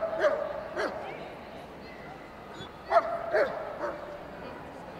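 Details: German Shepherd at the Crufts 2016 dog show, day 3, during Best of Breed judging; short sharp barks come in an irregular pattern, about five in five seconds, over a low murmur of voices in the hall.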